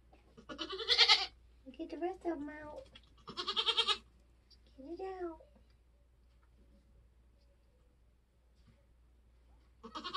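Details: Nigerian Dwarf doe in labour during kidding season on a homestead, giving three harsh, trembling bleats, interleaved with human voices, then a quiet stretch before the last call.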